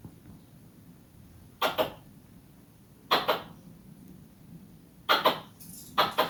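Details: Squirrel. A squirrel calls with loud, rasping chirps that sound almost like coughs, some single and some in quick pairs. The bursts come at irregular intervals of one to two seconds against a quiet background.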